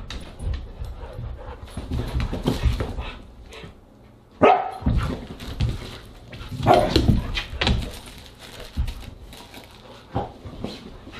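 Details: Siberian husky at an August 30, 2022 dinner, letting out two or three strong barks amid a steady background of shuffling, panting and low household noise.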